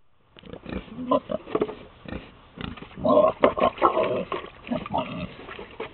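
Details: Pigs on a farm grunt and squeal in a busy overlapping chorus, rough pulsed grunts swelling louder in the middle, with many animals calling at once.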